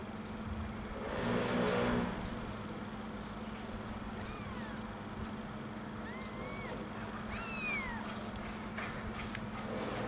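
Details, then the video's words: One-week-old kittens searching for their mother's milk give thin, high mews that curve up and then down. About four separate cries come between four and eight seconds, over a steady low hum, with a brief rustle near the start. "The First 1 Weeks Kittens: They Find Mother For Milk"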